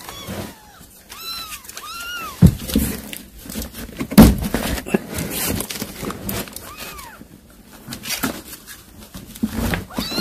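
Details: Mother cat calling her kittens after catching prey to feed them: a few short arched meows early on and another near seven seconds, over thumps, rustling and low background noise indoors.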